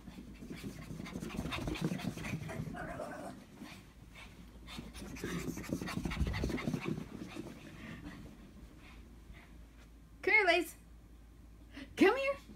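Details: Lacey, a pet Shih Tzu dog, has a case of the zoomies in her basement exercise area, giving fast rhythmic breathy panting for about nine seconds, then two short bursts of a woman's voice urging her on.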